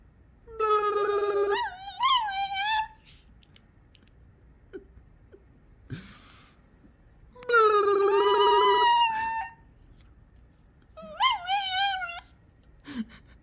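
A Yorkshire terrier makes odd, warbling, whining vocalisations in bursts, rising and falling in pitch.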